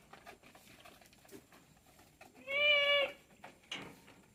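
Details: Short, bright bleat from a Tellicherry goat kept on a farm, a single nasal call of about half a second rising at its start, heard over quiet rustling farmyard background noise.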